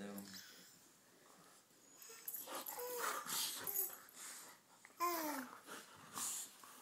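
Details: Pet dogs wrestling indoors while a baby sits on the floor watching; rough growls and whiny yelps with short falling tones come in bursts, mixed with an adult woman talking and scuffling noises.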